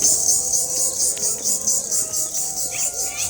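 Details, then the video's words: A dense, shrill, steady high chorus of crickets beside farm fields and a mosque in a Bangladeshi village, with faint birdsong in the background. "শুনুন কি সুন্দর ঝিঝি পোকার ডাক কি যে ভালো লাগছে"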